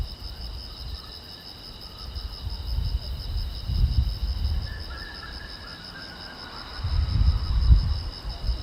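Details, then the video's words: Crickets at night beside a silent road: a steady, finely pulsed high-pitched chirping runs throughout, partly masked by a loud low rumble that swells around four and seven seconds, with a faint fainter mid-pitched trace near five seconds. "the Chirping Sound of Crickets"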